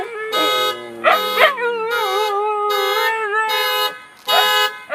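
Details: Two Siberian Huskies howling along with a sounding car alarm: long tonal wavering howls with rich harmonics, rising and bending in pitch, overlapping the alarm's repeated electronic bursts about once a second.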